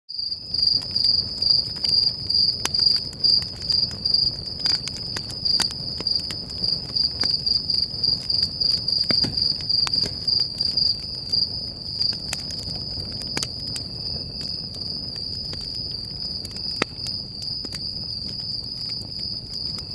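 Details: A cricket chirps in a high, steady pulsing trill over the soft crackle and pops of a campfire at night at Stoney Creek Campground, Sequoia National Park, California.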